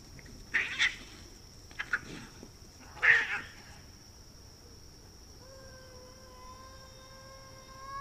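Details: Cats fighting in a front yard: three sharp hissing, spitting bursts in the first three and a half seconds, then a quiet pause before a long, low, rising yowl with strong overtones that starts near five and a half seconds, over steady background hiss.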